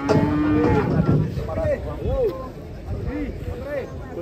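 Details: Indonesian cattle unloading from a truck, with short arched lowing calls repeated roughly every half second to second, mid-pitched and brief, against steady crowd and engine-like noise.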